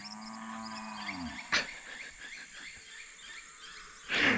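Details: A cow gives one deep, droning moo that sags in pitch and fades, over steady chirping of small birds and a few brief bumps; an unguided herd is switching fields beside a tropical river on Costa Rica's Osa Peninsula.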